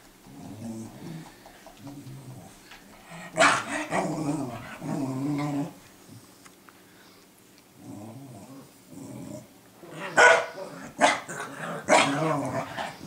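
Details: Sophie teaching Cooper to act as a guard dog, 12 6 2014: low grumbling growls at first, then bursts of rough barking and snarls, with a cluster of sharp barks near the end.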